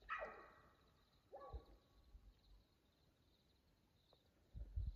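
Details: Wild mountain lion calling at 2:15 a.m. on June 7, 2024, along Houston Bros Trail in Arizona's Coconino National Forest, heard by a solo backpacker. Two short, harmonic cries slide sharply downward in the first second and a half, then quiet with soft low thumps near the end.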